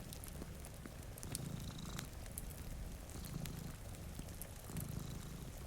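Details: A sleeping cat, one of two by a rainy window, purrs in a low, throbbing drone that rises and eases in slow breath-length waves, layered over fireplace crackle and steady rain.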